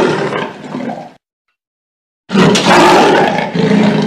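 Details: Leopard roaring in loud, gravelly bursts, a harsh growl before a sudden silence, then a stronger rasping roar with low tonal bands that continues to the end.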